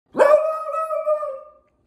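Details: Elly, a six-month-old female Lemon Beagle, gives one drawn-out bark-howl while wanting her sweet potato snack, starting sharply and holding a steady, slightly wavering tone for over a second before fading out.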